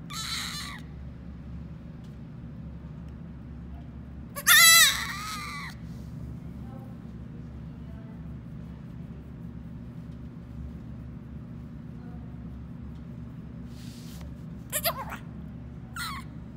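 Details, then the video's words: Baby goat bleating: a loud, harsh, quavering cry of about a second in the middle, with shorter faint cries at the start and near the end, and a low constant hum between them. "Baby goat making the cutest noise."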